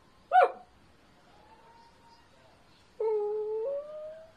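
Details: Dachshund at play gives one sharp yip, then a soft, level whine and a louder, steady whine with a slight upward turn at the end, in a quiet indoor space.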